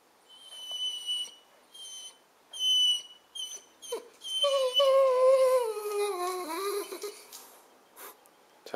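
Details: Suza, a pet Weimaraner, whining to be let out on 4 January 2011, recorded with a Panasonic Lumix: a run of short, very high, thin squeaks in quick bursts, then a long lower whine wavering and sliding downward, ending in soft sniffs.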